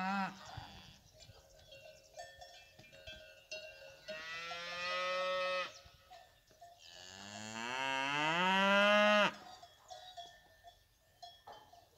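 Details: Fighting bull cows kept with their calves on a brave-cattle ranch: two long, loud moos, the first steady and even, the second swelling and bending in pitch, over steady ringing cowbells and soft rustling.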